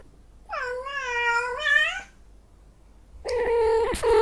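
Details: Female cat in heat uttering two long, sustained meows, the first steady and slightly arching, the second harsher and strained, with a brief quiet gap between.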